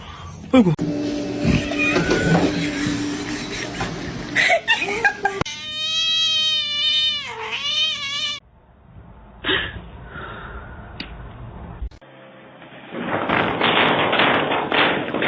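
A kitten gives a long, high, wavering meow that rises and then dips, between bursts of noise.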